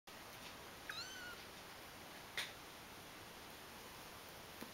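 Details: Kittens, two of them; a single faint high mewing call with a rising then level tone near the start, followed by a brief click, over a steady quiet hiss.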